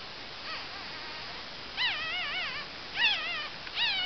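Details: Two-day-old female Cavalier King Charles Spaniel puppies from one litter; three thin, wavering, high whimpering squeals with rising-and-falling pitch come in quick bursts after a quiet start, over a faint steady background hiss.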